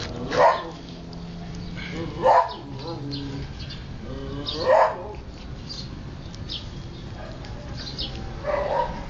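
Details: Siberian Husky puppies at play and feeding, giving four loud, short yelping barks spaced roughly two seconds apart, with a low steady background hum between them.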